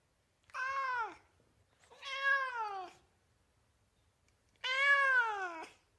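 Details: Domestic cat meowing, three drawn-out harmonic meows with a falling pitch, each lasting about half a second to a second, separated by silence in a quiet setting.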